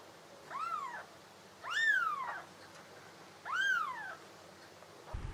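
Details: Cat giving three soft, arching meows about a second and a half apart, each rising then falling, heard fairly quietly over a faint background hiss.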